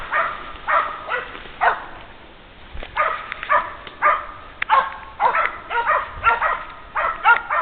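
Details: Two Polish Hound bitches, Raba and Fanka, reach a wounded wild boar after tracking a trail of 800 metres, 12 hours after the shot. Loud, hoarse barks come in irregular bursts, roughly two per second at times, outdoors.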